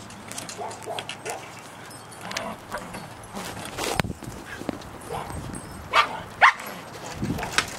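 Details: A Cairn Terrier gives short, sharp yips and barks over muffled human voices and background noise during a four-day Colorado blizzard in 2013.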